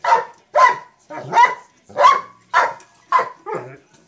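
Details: Mastiff barking while playing with a sock monkey jack-in-the-box toy; seven short, sharp barks in quick succession, roughly two per second, each a brief burst with clean silence between.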